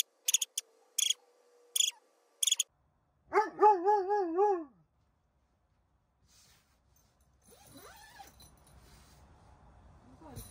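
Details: Roman, a Dobermann with severe separation anxiety, unable to stay alone even a second. Electronic beeps sound first, then a loud wavering, quavering howl-whine lasting about a second and a half, followed by faint low rustling.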